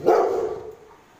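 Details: A Rottweiler, barking at children who poke it, gives a single deep, gruff bark that starts loud and quickly fades.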